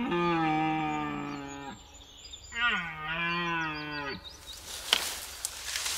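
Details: Male red deer in the broadleaf forests of Eastern Europe starting the autumn rut, giving two long, deep, hoarse roars that fall in pitch at the end, followed by rustling and rushing noise.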